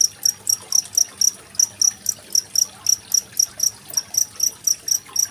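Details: Chirping genggong cricket paired with gently running water, used to train songbirds like magpie-robins for contests. Bright, piercing pulses follow one another at roughly four per second, with soft background rush.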